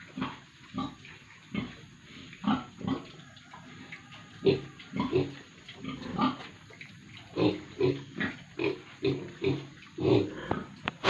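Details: Pigs and piglets on a farm in Tripura, India, giving short repeated grunts and squeals at an uneven pace, with a faint steady hum in the background.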